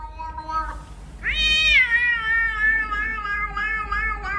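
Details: A cat meowing: a soft, short meow, then a loud, long meow that jumps up sharply and slowly falls away over about three seconds, with a low rumble in the background.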